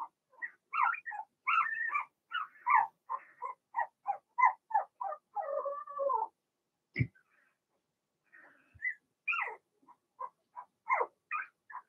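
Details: Blenheim Cavalier King Charles Spaniel puppies, Remy's litter of two girls and four boys, in a home puppy pen: steady rapid high whimpering and squealing, nearly continuous, one sharp knock partway through, then more short whines.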